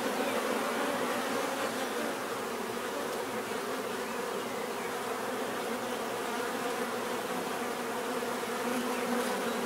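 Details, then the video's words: Constant swarm-like buzzing of bees, an even, droning hum with stacked low tones and a grainy high hiss, steady from start to finish. "bees therapy relaxing natural buzzing sound"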